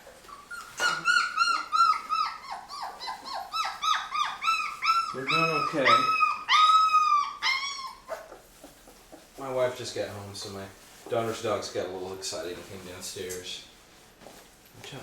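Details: A litter of Labrador retriever puppies, 23 days old, eating puppy food for the first time in a small room; steady rapid whimpering, sliding whines in quick succession, then softer mixed squeaks and a person's voice.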